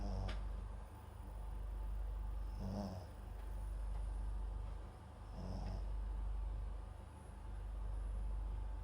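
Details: Papillon and Japanese Chin mix dog named MAX asleep with a microphone placed beside it, giving soft snoring snorts about every two and a half seconds over a low steady hum.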